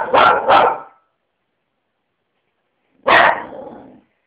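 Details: Lenny the dog barks twice in rapid succession, falls silent for about two seconds, then lets out a single longer, trailing bark against a silent background.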